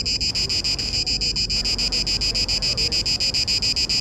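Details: Cicada orni male in Parque Eduardo VII, singing in the mating season to draw females: a harsh, rhythmic buzzing pulse train, high-pitched, roughly three to four pulses each second, evenly spaced, over soft low city hum.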